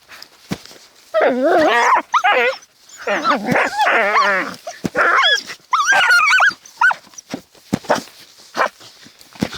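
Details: Two dachshunds, Tasya and Kessi, digging in a field in autumn 2015. They give bursts of high, wavering, whiny yelps and barks in clusters with short gaps, over outdoor rustling and scuffing.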